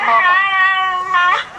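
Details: Dog vocalizing in an imitation of human speech, producing a sustained, tonal, whining 'I love' in two drawn-out parts with a slight rise at the end. The sound is clear, with no other noises.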